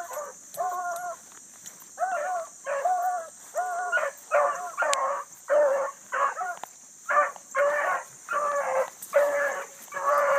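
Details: Bluetick coonhounds running hard on a big rabbit early on a summer morning, with a new pup among them; steady chorus of ringing, drawn-out bays, each about half a second, repeated roughly twice a second, over a constant high insect hum.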